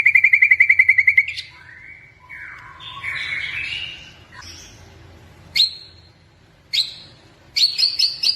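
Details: Pet white-rumped shama, blorok type, kept in Indonesia and singing actively: a brief rapid trill, then slurred warbling phrases and scattered sharp chips separated by short pauses.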